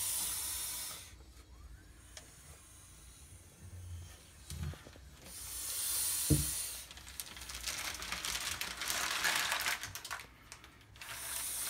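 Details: Handling a female blood python draws steady hissing exhalations, a noisy rush at the start, a longer one midway and another at the close, over faint rustling and knocks.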